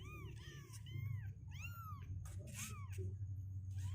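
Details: Two-week-old kittens, healthy with legs growing stronger and unwilling to stay in their box, give high arching meows, four rising-and-falling cries in a few seconds over a steady low hum and a brief rustle.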